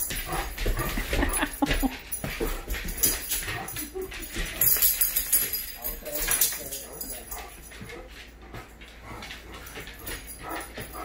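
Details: Scooby, a Great Dane, whines and whimpers excitedly greeting his owner coming home, with people talking over it.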